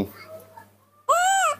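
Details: Nomi, a spoiled baby monkey, throws a tantrum while drinking milk in the morning: after a quiet stretch with faint tones and steady low hum, one loud, half-second wail bursts out, harmonic-rich, rising slightly then falling.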